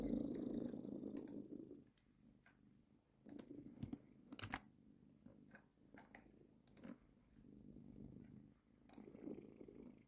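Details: Domestic female cat purring on a person's lap indoors while they work; a low, rough, continuous rumble swelling and fading in waves, overlaid by sharp, scattered keyboard clicks from typing.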